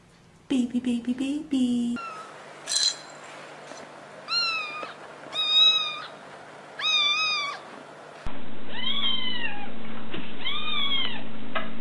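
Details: Several kitten meows, short arched calls rising then falling, repeated roughly every one to two seconds across spliced segments, with a steady low hum underneath in parts.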